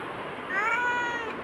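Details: Bagira, a black pet cat chatting with its owner, lets out a slightly rising, then level meow of about seven tenths of a second, between Tamil questions about whether it wants food or is hungry.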